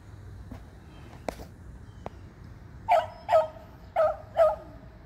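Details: Beagles, two eleven years old and one three years old, treeing squirrels on June 3, 2020: a few scattered clicks and yips, then four loud clipped barks in quick pairs about half a second apart.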